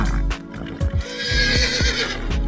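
A horse neighs, a shaky whinny that falls in pitch, with music playing underneath.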